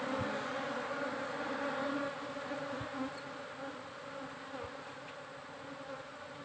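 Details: Honey bee hive in a modern beekeeping setup: a dense, continuous buzzing hum on steady pitched bands, loudest at first and easing slightly after two seconds, with a few soft low thumps.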